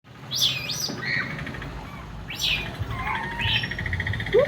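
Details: Many monkeys, including a baby, are noisily calling and climbing near a house, giving high, squeaky chirps that sweep up and down in quick, bird-like bursts.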